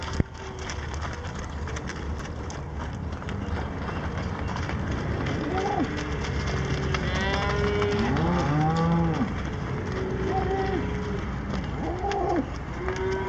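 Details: Cattle on a farm with 33 cows, mooing several times, calls rising and falling around the middle and end, some overlapping, over steady low rumbling background noise.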